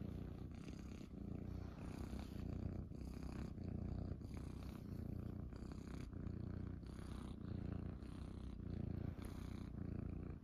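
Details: Munchkin kittens purring while lying on their owner's belly in the morning after waking; a steady, low, rumbling purr runs throughout, close to the microphone, with bursts of rustling and rubbing against fabric.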